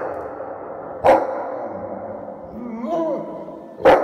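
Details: German Shepherd welcoming its owner, two sharp barks about three seconds apart with a rising-and-falling whine between them.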